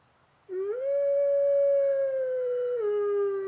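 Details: A talkative wolf howls: one sustained, clear, steady tone that rises at the start, holds level for about two seconds, then drops slightly lower before ending abruptly. Rich harmonics above it, quiet background.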